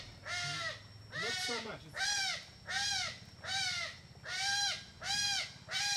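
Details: Smooth-coated otters, a playful group in a river in Borneo eating fish for dinner; loud harsh arched squealing calls with rich harmonics, repeated about every 0.8 seconds, seven in a row, with a low hum beneath.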